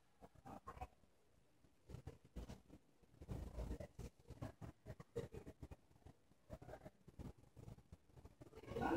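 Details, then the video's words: Indoors, a dozing English Bulldog, perhaps a bulldog mix, snores with low, grumbling, wet snuffles. They come in uneven clusters and grow louder toward the end. "English Bulldog Titus Sleeping and Snoring"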